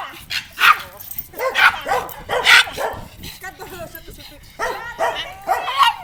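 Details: A black pug barks wildly in short, sharp, yappy bursts, mixed with odd whines and snorts, after meeting an unfamiliar dog.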